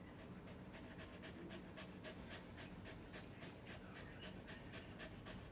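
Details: LUCKY, a dog born with a disability, pants steadily during play with its owner, about two quick breathy huffs per second, over faint background hum.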